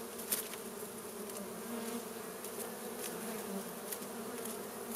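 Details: Wild honey bees buzz steadily around their hive in a plant as fire smoke drives them out for a honey harvest; a dense, even low hum with faint clicks and rustles.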